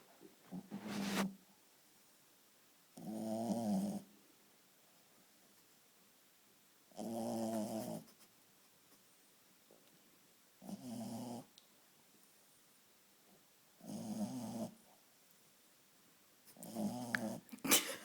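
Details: Shih Tzu dog snoring during deep sleep indoors: six harmonic-rich, raspy snores, each about a second long, spaced roughly every three to four seconds with quiet breathing gaps between.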